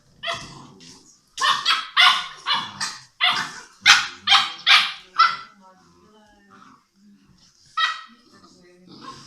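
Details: Six-week-old English Mastiff puppies playing together: a burst of high, yappy puppy barks in quick irregular succession, then quieter squeaks and a lone later bark.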